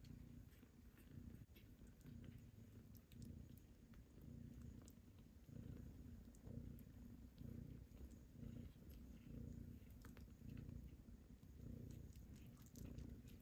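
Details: Nursing kittens crowded at their mother's milk, sometimes fighting for space as they grow: continuous deep purring in rough pulses about once a second, with light tapping and rustling noises on top.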